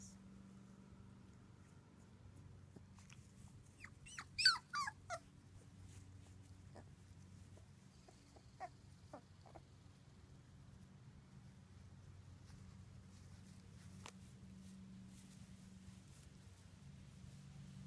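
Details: Two-week-old British Labrador Retriever puppies from Ruby's litter of six, whelped June 24th, 2015. A cluster of high, squeaky whimpers and yelps rises and falls early on, then a few scattered squeaks follow over a steady low hum.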